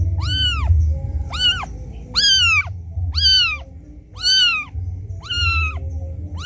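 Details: Crying kitten calling for its mother after being left alone: six piercing arched meows repeated roughly once a second, bright and harmonic, with a low background drone throughout.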